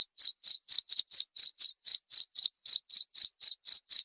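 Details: Chirping cricket used to scare off rats, giving short bright pulses about four times a second in an even rhythm, with nothing else audible behind them.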